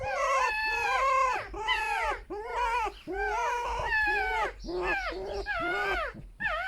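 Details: Pet foxes rescued from a fur farm, a vixen and a male sharing a den, squeaking together in a harmless song; loud harmonic whining squeals with bent, falling pitch, about seventy-eight per minute, separated by short gaps.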